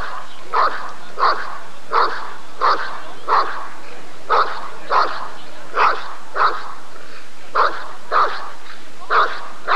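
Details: Rottweiler at a 1994 ADRK Körung breed survey giving a long run of repeated barks, roughly fifteen in ten seconds, mostly evenly spaced with a few short gaps.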